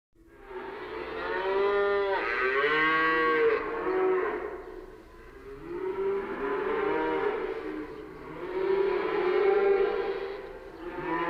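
A cow gives long, drawn-out moos with rich harmonic tones that swell and fade.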